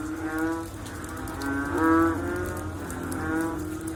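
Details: Frogs calling after rain: deep, nasal, harmonic lowing calls of about half a second that overlap from several callers, the loudest near the middle, over a steady low background hum.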